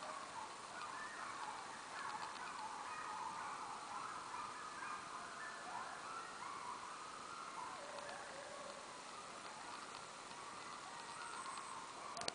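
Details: Coyotes howl together in the twilight, several wavering voices rising, falling and overlapping throughout.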